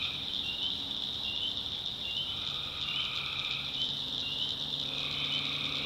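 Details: Night chorus of tree frogs in North Carolina swamp backwoods: a continuous shrill high drone with drawn-out trilled calls rising out of it about every two seconds, and a soft low droning background.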